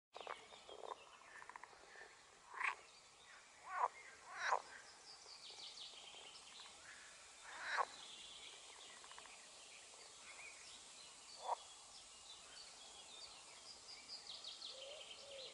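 A green frog gives short, rasping croaks at irregular intervals over a steady background hiss.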